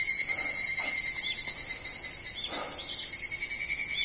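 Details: Chorus of evening cicadas calling next to the car park of Izumi Nature Park on 20 August 2012: a continuous shrill, ringing drone with soft pulsing notes recurring several times a second.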